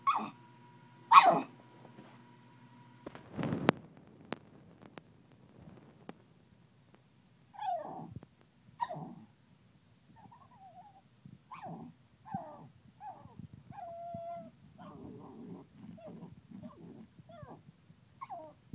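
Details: An angry pug trying to get to the bottle. From about seven seconds on come short, high, rising-and-falling whines, spaced and irregular, after two loud sharp knocks near the start.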